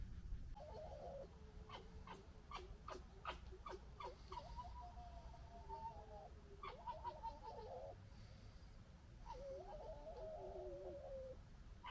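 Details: Three young foxes from one year's litter squabbling and fighting: wavering, nasal whines that hover and bend, broken up by sharp clicking chatter, with a steady low background rumble.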